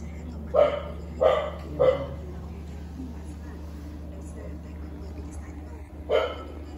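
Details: Newborn kitten, abandoned and rescued from the street, being fed: three short, harmonic cries in quick succession about 0.6 seconds apart, then a pause and a fourth cry, over a steady low electrical hum indoors.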